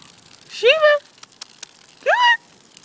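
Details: German Shepherd named Sheba, a pet dog, playing in water and hiding; two rising, tonal whines about a third of a second each, a second apart, with faint clicks between and a person calling her nearby.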